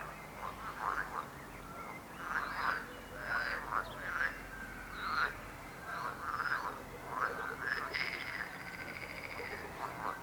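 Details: A frog chorus with dense, overlapping croaks. Short rasping notes are repeated in quick runs, and several callers alternate so the ten seconds are almost unbroken.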